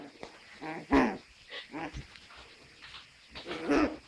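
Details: Russian Toy Terrier puppy, in Lithuanian called Rusu toiterjeras, giving short whining and yelping calls in a few bursts spread over four seconds, with quiet room noise between them.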